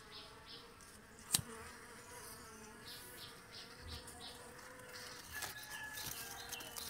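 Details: Honey bees around a box hive while honey is collected, giving a faint, even, banded hum, with a sharp click near the start and soft handling sounds.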